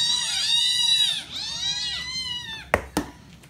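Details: A litter of hungry Scottish Fold cats screams for their breakfast wet food; one gives two drawn-out, insistent begging meows that rise and fall in a rich, harmonic arc, each about a second long, followed by a couple of sharp clicks.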